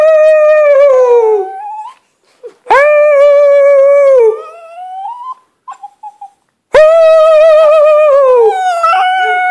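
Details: Up close, the pet dog Lilly howls squeakily in drawn-out notes that sag downward, broken by brief gaps and small whimpering sounds before a fresh strong howl.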